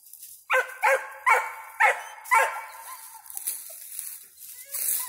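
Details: Young squirrel dog Ranger, five months old, treeing a squirrel, gives five spaced yelping barks about half a second apart, then softer whines and rustling noise.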